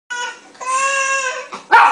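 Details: A Miniature Schnauzer, irritated by a crying baby on a TV show, gives drawn-out, whining vocalizations ending in a sharper, louder burst.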